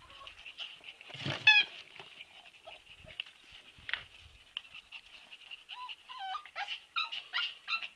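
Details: Siberian Husky puppies give high, thin whimpers and short squeaky yelps, scattered at first and then bunching into rising and falling tonal cries near the end, with a brief rustle early on in an otherwise quiet room.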